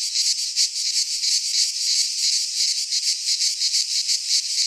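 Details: Midsummer cicada chorus from a pine forest in Greece, a shrill electric buzz throbbing in quick regular surges about three per second, continuous throughout, nothing else audible.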